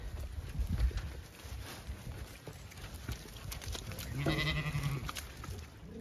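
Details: Zwartbles ewes being moved across a regenerative farm in County Kilkenny, Ireland, to a shed, complaining there is no food in the field. A drawn-out, low, harmonic bleat rises near the end after rustling and footsteps outdoors.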